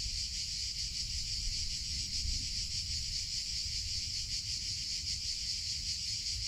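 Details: Cicadas singing in summer: a dense, steady high-pitched buzzing drone with a fine shimmering pulse that never breaks, layered over a low rumbling background.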